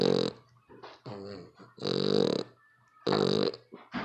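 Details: Heavy snores from a dog: harsh, buzzing, rattly breaths alternate with shorter snuffly ones over four seconds, with a faint low hum behind them.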